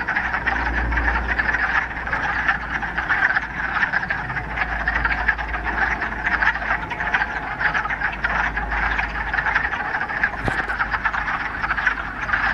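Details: Dense chorus of many frogs calling in a mountain pond in the Ramapo Mountains, mid-March on the first warm day of spring after a week of rain; continuous overlapping trilling croaks with low rumble underneath.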